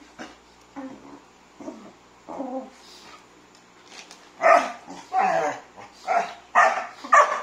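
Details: Labrador mix siblings, three mixed-breed littermates, playing with each other; soft yips and low grumbles at first, then a run of five loud, rough barks in quick succession toward the end.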